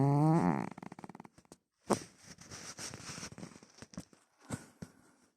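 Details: A pet cat snoring: a short, loud, voiced rasping snore with a low buzzy tone opens, followed by soft clicks, rustles and scattered faint noises in a small indoor room.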